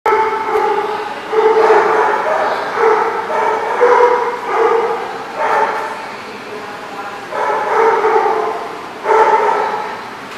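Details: Dogs barking at The Barking Lot on 13 June 2014: loud, harmonic barks come in bursts roughly every second, some drawn out into howl-like yowls, with a steady hum beneath.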